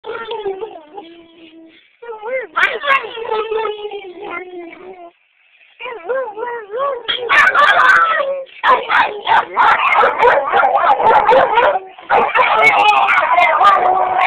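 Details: Two pet dogs, Roach and Rocco, howling at each other indoors: wavering, warbling drawn-out howls at first, then both voices overlapping into a dense, loud, continuous chorus with brief breaks.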